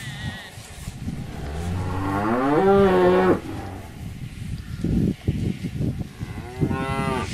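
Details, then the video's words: A single cow gives a long moo that climbs in pitch, holds loud and tonal for about a second, then stops; shorter grunting lows and another rising moo follow. "Âm thanh con bò || Sound and picture of the Cows"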